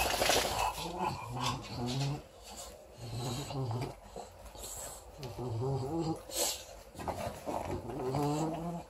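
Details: Female English Bulldog puppy, four weeks old, tussling with a teddy bear and making repeated rough, low growling grunts in short bursts. Human speech mixes in throughout.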